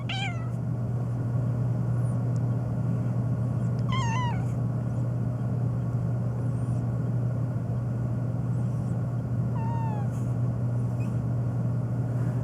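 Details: Phoebe, a black pet cat meowing nonstop on a long rant, especially in reaction to sneezing, gives three drawn-out falling meows spaced several seconds apart over a steady low mechanical hum.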